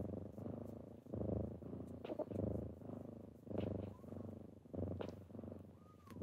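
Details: Kittens rousing their owner in the morning, purring in loud rhythmic surges, a coarse low vibration rising and falling with each breath, broken by brief scratchy rustles and a faint squeak near the end.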